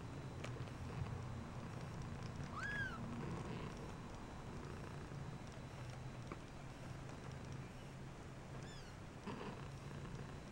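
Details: Shaded golden Persian kittens of the K litter, just over two weeks old, exploring around their nest; two thin, high, rising-then-falling mews, one early and a fainter one later, over a low steady hum.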